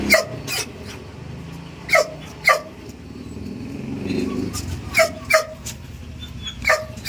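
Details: Belgian Malinois puppy during stay training, giving short sharp barks in pairs and singles spaced about every second or two, with low background hum and a faint human voice between barks.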